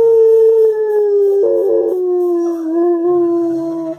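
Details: German Shepherd dog singing along to the opening of Panda Bear's single "Mr. Noah": one long, steady, tonal howl that slowly sinks in pitch, with a brief wavering break near the middle and soft music beneath.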